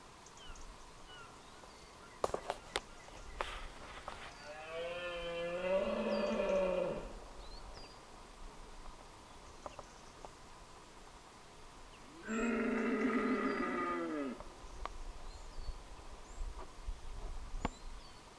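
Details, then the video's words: Deer roaring during the rut at dawn in Scotland, filmed on a Canon SX20IS: two deep, drawn-out harmonic roars of about two seconds each, falling slightly at the end. Sharp clicks, faint dawn-chorus birds and camera noise are also heard. "Deer roaring during the rut - at dawn"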